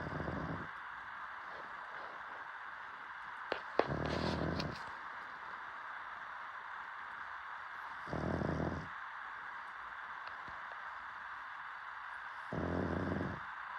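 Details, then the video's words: A sleeping dog snoring: four short, rough, breathy bursts spread across the recording, each under a second long and roughly four seconds apart, over a steady background hiss. "DOG Snoring 😴"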